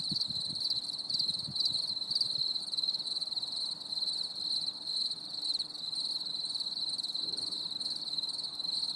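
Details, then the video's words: Cricket chorus on a stormy summer evening, a steady high-pitched pulsing trill from many insects, with faint low rumbling thumps early on. "CHANT GRILLONS"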